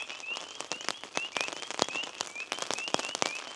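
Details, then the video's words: Spring peepers give high, rising whistled peeps in quick succession at dusk on a mountain in early spring, growing louder as it darkens, while rain patters steadily on a tarp during a cold, windy storm. "you can hear the peepers now too"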